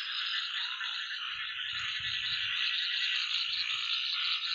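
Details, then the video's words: Outdoor nighttime frog chorus of assorted water frogs, large and small: unbroken high, buzzy trilling layered from many callers, with faint low rustling underneath. "frog sound#Orriginal sound#Night#2025#water frogs"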